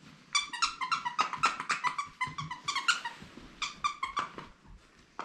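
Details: Bongo, a female beagle puppy about three months old, staying at a sitter's home without her owners for the first time in February 2022, gives a rapid run of high, harmonic yelping whines indoors, about four per second, with brief pauses.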